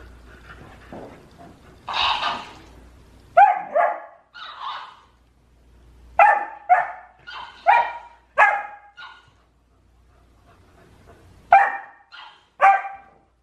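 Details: Golden Retriever at home, quarrelling with the family's hamster as things get a bit out of control; a run of short, sharp barks in bursts, some paired, with a louder yelp-like cry early and quiet gaps between.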